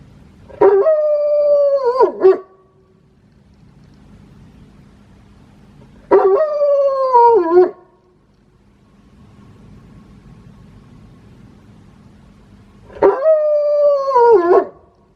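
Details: Wolfdog kept as a house pet, howling with a peculiar, strongly idiosyncratic voice: three tonal howls about six seconds apart, each a wavering mid-pitched wail lasting nearly two seconds, dipping and breaking at the end, over a faint low hum.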